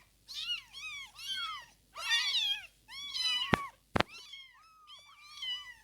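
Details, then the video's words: Newborn kittens still learning to walk mew in soft, repeated arched cries with a low hum beneath and two sharp knocks partway through. "Day 1 to 15th day after birth | Meowing & Opening Eyes | Learning Walk"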